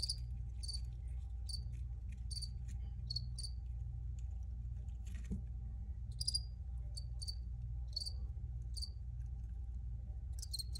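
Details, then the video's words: Chirps from crickets in a homemade recording: brief shrill pulses roughly once a second, irregularly spaced, over a constant low rumble. "Free Cricket Sounds for Re-Use or Relaxation"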